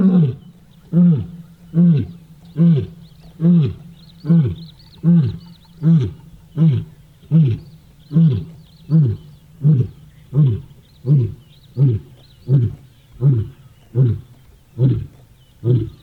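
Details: A male lion, one of the Ndzhenga Males with a full belly, walking towards other calling lions while impala alarm-call at him, gives a steady run of low, throaty roaring grunts, a little more than one a second, each swelling then dropping in pitch.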